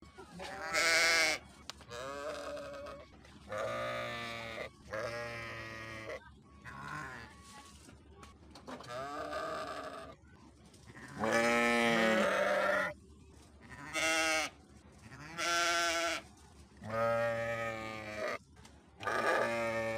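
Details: Sheep bleating in a series of about ten harmonic, wavering bleats spread over twenty seconds, some short and some drawn out, separated by quiet gaps with a low steady hum underneath.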